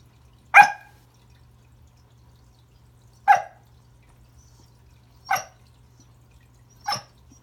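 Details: Indoors at Christmas, Remington the Pembroke Welsh Corgi barks at a new toy under the tree, trying to say hello: four short, sharp barks spaced about two seconds apart over a quiet background.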